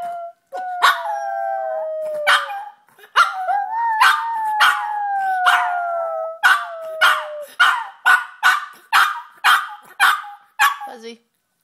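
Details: Yorkshire Terrier named Busby learning to howl inside the house: two long wavering howls that slide gently downward, followed by a run of about ten short, evenly spaced yelping barks.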